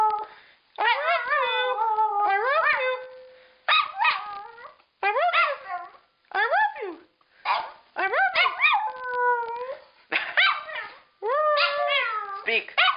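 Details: Female pet dog mimicking her owner's howled "I love you" in howl form; a run of short rising-falling howls with breaks between, some held and bending, ending in yelping upturns.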